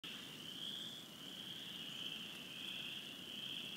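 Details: Chorus of spring peepers, a tree frog concerto surrounding a pine island at the McCready Reserve: a dense, unbroken high peeping that merges into a steady shrill band, with low background rumble.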